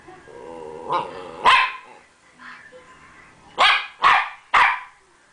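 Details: Rat Terrier Champ in a playful, attention-seeking mood: a softer yelp, then a strong bark, a pause, and a quick run of three loud barks near the end.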